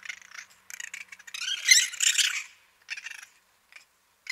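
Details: Raccoons fighting at night give harsh, raspy chittering screeches in quick irregular bursts, swelling into a louder squabble midway and then breaking off into short scattered squeals.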